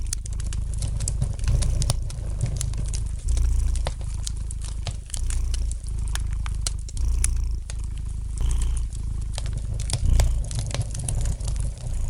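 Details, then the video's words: Gentle purring of a domestic cat by a fireplace, meant as relaxing sound: a deep steady rumble rising in soft surges every couple of seconds, with continuous sharp crackles of burning wood over it. "Relax to the gentle purring of the cat"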